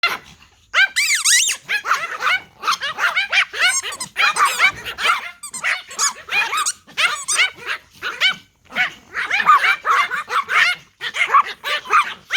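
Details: Several Pomeranian Toy Pom dogs bark at a whistle: a dense, almost continuous chorus of high, sharp yapping barks that overlap throughout, with only brief gaps near the start.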